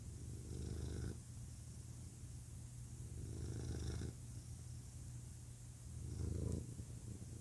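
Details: Male cat purring, very low and throbbing, alternating louder and softer phases roughly every two to three seconds with each breath; otherwise quiet.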